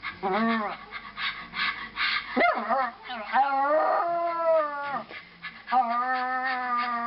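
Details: A Bichon Frise, reacting to a particular video, gives drawn-out, wavering howls and whines that rise and fall in pitch.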